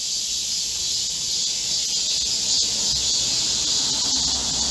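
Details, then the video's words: Chorus of Korean cicadas in a midsummer green forest during a heatwave, 25 July 2024: an unbroken, shrill, hissing drone that holds constant throughout. "Korean cicadas, a chorus in a midsummer green forest | 한국 매미들의 한여름 초록 숲속의 합창"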